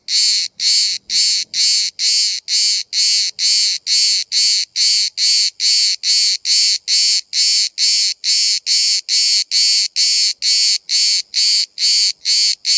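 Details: A single cicada filmed from 5 cm at Bodrum, Turkey, where hundreds call all day: loud, harsh buzzy pulses repeated about twice a second in a steady, even rhythm, with faint low rustling early on.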